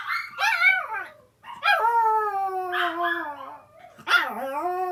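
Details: Older sister dog howling in reply to the younger sister dog's cries at home: a sharp yelping onset, then long harmonic howls gliding slowly downward, a break of near silence, and a final rising-then-falling wail.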